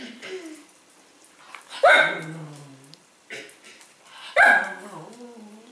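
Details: At dinner time a Cavalier King Charles Spaniel barks and whines at its bowl until its food is poured onto the floor; two loud barks with whining tails, plus softer whimpers and a person talking.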